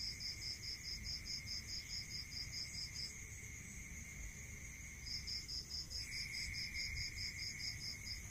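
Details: In a rural night chorus, a cricket chirps in fast regular high pulses for about three seconds, falls silent, then resumes, with a continuous shrill insect drone beneath.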